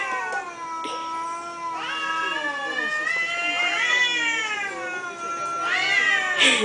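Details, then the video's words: Cats in Thailand communicating with each other: a series of drawn-out, harmonic meows, some rising then sliding down, overlapping voices answering one another, with a brief noisy burst near the end. "talking Cats in Thailand"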